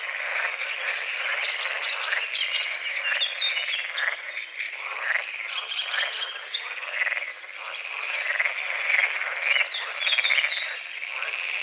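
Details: A dense chorus of frogs croaks at dawn over a small foggy lake at a forest edge, many overlapping rattling and chirping calls blending into a continuous wall of sound.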